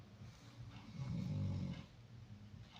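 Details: Koko the dog, said to be not sleeping today, making a low rumbling snore-like breath indoors, one loud swell peaking in the middle of the short stretch, fading to quieter breathing.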